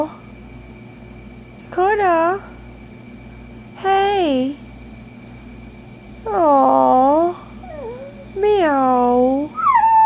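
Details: A dachshund gives a series of short, mournful howls about every two seconds, each rising then sagging in pitch; a woman soothes it indoors and wonders if it is sad or misses its dad.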